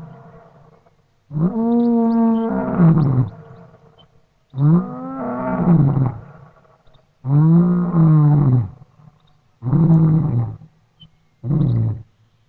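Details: Lion roaring at dawn across bushveld grassland and woodland near the Tropic of Capricorn, recorded on an old tape: five deep, moaning roars, each about one to two seconds long and growing shorter, separated by brief pauses.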